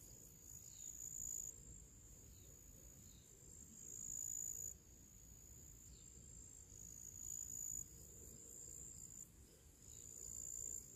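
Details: Pre-evening summer chorus of crickets and other small creatures in nature near purple flowers: continuous very high trilling in long bursts that start and stop sharply, with faint higher chirps and low ambient rumble beneath.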